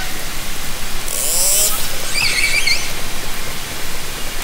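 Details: Hydrophone recording of orcas from a kayak in Haro Strait, summer 2010: a brief buzzing click burst, then faint wavering high whistles and a low rising call, all under a steady wash of underwater hiss.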